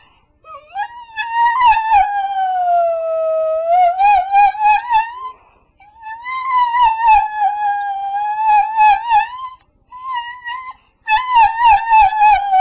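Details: Dog crying in long, drawn-out howling whines, each several seconds, sagging in pitch then wavering back up, with short breaks between, in a quiet indoor space with faint low thumps.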